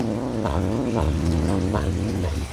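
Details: Serval eating its last piece of food with a continuous low growl, pulsing gently about twice a second, recorded indoors.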